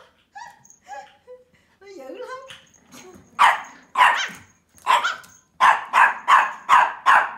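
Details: Playful Pomeranian puppy, 12 weeks old, starting with soft squeaky whines and a falling whimper, then breaking into sharp high barks, about eight in a row, speeding up toward the end, indoors.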